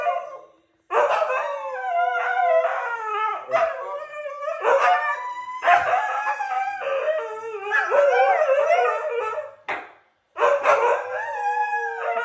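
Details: Two Siberian Huskies howl together in a morning duet, in long, wavering, yodel-like phrases that slide up and down in pitch.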